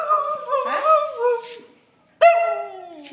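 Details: A female Siberian Husky named Kittu, who was sitting quietly, grows wildly excited on hearing about going out. Two long yodelling whines: the first wavers for over a second and a half; after a short pause the second starts sharply and slides downward.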